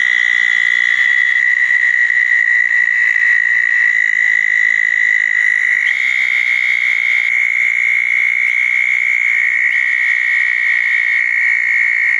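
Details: Southern toads calling at night around small dug ponds after a thunderstorm on June 10, 2014, with eastern narrowmouth toads also present. Steady, unbroken high trills overlap throughout, with fainter, higher buzzy notes layered above.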